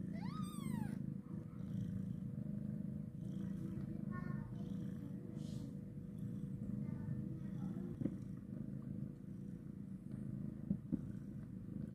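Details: Right after giving birth, a mother cat carries her kitten while purring in an unbroken low rumble. It opens with a quick, high downward mew, and light rustling and faint tapping sounds follow.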